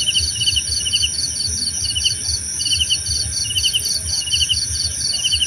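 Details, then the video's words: Several crickets calling together, one producing buzzy pulsed chirps in a fairly even rhythm against a higher rapid trill and a constant high-pitched ringing, with soft low noise beneath. "Suara Jangkrik Membahana!"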